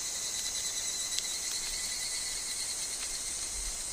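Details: Higurashi, the evening cicada, heard in woodland. A continuous high shimmering chorus is broken by a few sharp soft ticks and rustles, with a steady thin tone underneath.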